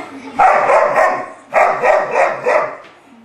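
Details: During rough play between an English Bulldog and Forest, a three-month-old English Mastiff pup, a rapid run of harsh barks comes in two bursts of several yaps each, with faint voices in the background.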